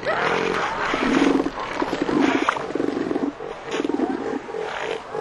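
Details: Two southern elephant seal bulls roar in harsh, throbbing pulses while fighting over territory and mating rights for females.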